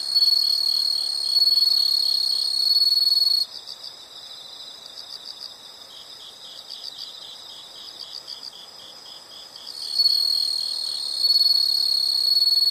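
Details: Insects in a calming nature soundscape: a loud, shrill, continuous buzzing trill for about three seconds drops to softer rapid pulsed chirping, then the steady high buzz returns near the end.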